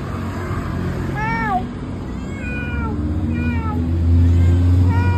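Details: Misifus, a chatty domestic cat talking to its owner, gives three or four clear separate meows, each a brief arched tone dropping at the end, over steady low engine-like rumble.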